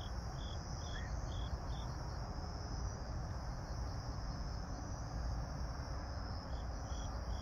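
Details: Evening grass insects on 26 September 2022, 18:46, pink sky overhead: a few brief high chirps early and again near the end, with a continuous shrill hum and a dense low-pitched rumble filling the background.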